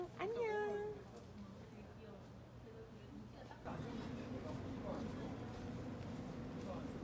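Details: A cat gives one short meow under a second long that rises, then levels off, followed by background murmur and people talking.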